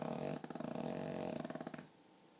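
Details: Sleeping pug dog snoring in a way said to sound just like a human: a loud, rough, harmonic rasp that breaks into rapid fluttering pulses, then fades to quiet.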